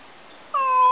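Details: Stray cat found outside, possibly sick or injured; a single loud, drawn-out meow begins abruptly and holds a steady, slightly wavering tone for about half a second.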